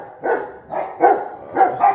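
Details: Rottweiler guard dog at home, prompted by its owner's phrase 'who is it?' learned as a puppy; short volley of four gruff, full barks spaced about half a second, no other sounds.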